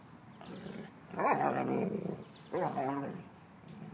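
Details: Mastiffs at home, an old female and six-month-old Brice, with Lola and Gertie named: two drawn-out harmonic growling grumbles, the first about a second long and the second shorter, rising then wavering, in a quiet room.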